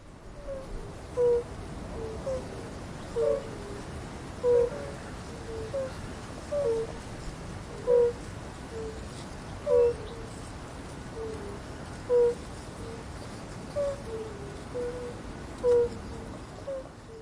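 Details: Chorus of fire-bellied toads: soft, low, hooting notes from several callers overlap and repeat roughly every second at slightly different pitches over a steady hiss of background noise.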